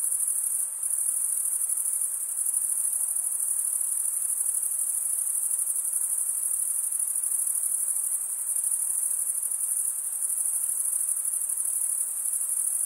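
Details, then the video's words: Male crickets chirping by stridulation, rubbing one wing's edge across a toothed vein on the other: a continuous shrill, very high trill held at one pitch, with a brief dip near the start over a soft lower hiss. "Most relaxing cricket sound for 8 hours"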